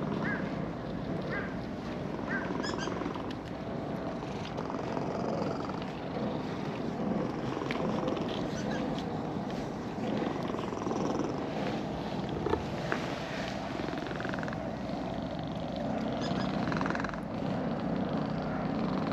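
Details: Contented purring from an orange-and-white park cat being petted after coming down a slope; a continuous low, throaty rumble fills the whole stretch, with light handling noises and occasional outdoor sounds.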